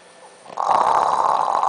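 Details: A sleeping French Bulldog snores at night, a rough, rattling breath swelling from near silence into a steady rasp; he usually sleeps with a bone in his mouth.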